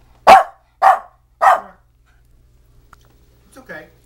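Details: Pet dog barking at a vacuum cleaner indoors: three loud, quick barks in succession, then near silence and a faint soft voice-like sound.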